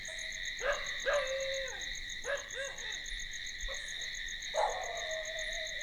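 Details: Night crickets trill continuously in high, shimmering layers with a fast, regular pulse. Over them a dog gives four barks spaced about a second apart, each with a falling tail.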